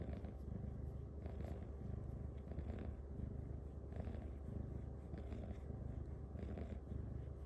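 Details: Nightly massage for Luxe, a female cat who loves sitting beside her humans; her purr is a deep, continuous rumble that swells with each breath, about every second, under faint brushing sounds from fingers moving through fur.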